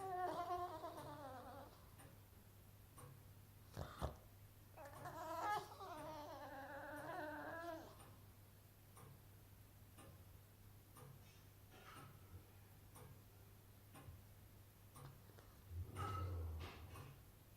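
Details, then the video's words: Boston Terrier moaning indoors, unhappy that his toy went under the sofa: wavering, whiny moans with a turkey-like warble, one burst at the start and another longer one midway, then a mostly quiet room with faint knocks. "Boston Terrier making Turkey noises"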